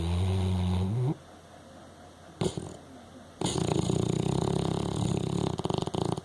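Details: Snoring pet dog Frankie: a short low snore that slides upward at its end, a quiet gap with a soft snort, then a long, rough, fluttering snore that breaks into choppy pulses.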